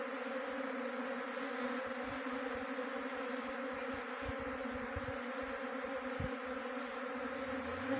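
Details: Honey bee swarm trapping near Chakrata, Uttarakhand: an unbroken, level droning buzz of many bees, with occasional soft low taps and a faint tick near the two-second mark.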